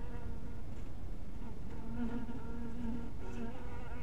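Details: Honey bees at a bee house in the twilight. Faint buzzing gives way after about two seconds to a stronger, wavering harmonic drone over a steady low rumble.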